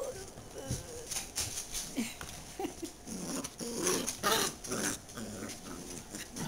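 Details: JoJo, a pet dachshund, makes short, sharp, irregular vocal bursts scattered through a few seconds, with a low rumbling undertone and soft handling noise between them in an indoor setting.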